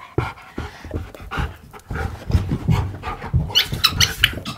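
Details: Siberian Husky arguing and refusing to sit on command: low grumbling mutters and panting build into several sharp, higher yelping 'talk' notes near the end, given in quick uneven succession.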